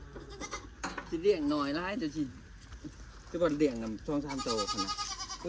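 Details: Goats, four more of them newly bought, give wavering, quavering bleats lasting one to two seconds in two separate bouts, while men talk steadily close by throughout.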